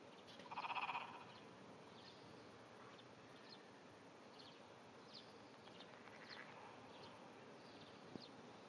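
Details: Japanese wrinkled frog under grass at dawn, 5:30 am on 16 June 2009, producing one brief trembling pulsed croak near the start, followed by quiet hiss with faint scattered ticks.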